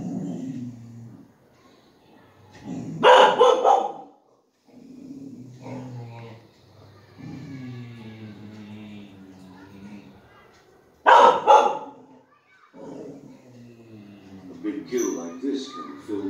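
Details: Female Golden Retriever watching TV indoors and reacting with two loud, harsh bark bursts about eight seconds apart. Spanish speech and music from the television fill the gaps between them.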